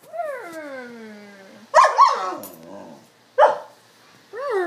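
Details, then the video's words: Pet Alaskan Malamute 'talking' in conversation with its owners: a long falling whine with stacked harmonics, then bursts of warbling, yodel-like grumbles and a final rising-falling whine. "Alaskan Malamute Marble talking"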